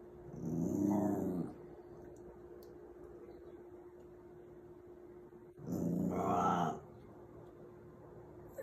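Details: Puppy Snowball reacting to a new dog, the one pictured on a dog food bag, indoors: two low, rumbling growl-like bursts, each about a second long, separated by a long quiet stretch with a steady background hum.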